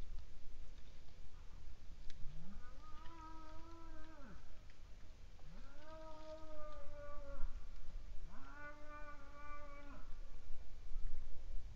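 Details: Cow (Bos taurus) in Estonia, recorded 29 April 2019, gives three drawn-out, harmonic, roaring bellows, each about two seconds long.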